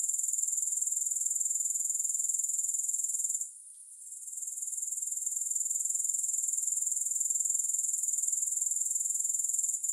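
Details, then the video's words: Grasshoppers calling with no music: a piercing high-pitched trill of fast, even pulses that drops away for about a second midway, then swells back to a steady drone. "Grass Hopper Sounds"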